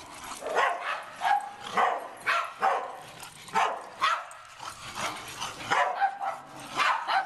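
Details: Household dogs bark repeatedly in short, bright yaps spaced roughly half a second apart, with some carrying a clear tonal ring.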